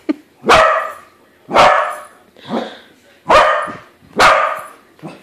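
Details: Excited corgi barking repeatedly at a corgi-shaped balloon, five forceful barks spaced roughly one second apart with small yips between.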